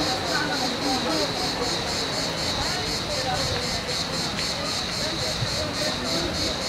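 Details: Cicadas in hot summer weather in Turkey, air perhaps around 40 degrees, at a cool waterside stop on a Burdur–Van drive, keep up a high, hissing buzz pulsing about four times a second, with voices nearby.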